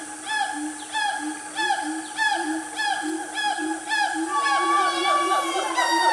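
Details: Siamang family in Gunung Nuang forest, Selangor, Malaysia, mid-morning: loud, rich hooting swoops repeating faster than once a second, building into a denser overlapping chorus near the end.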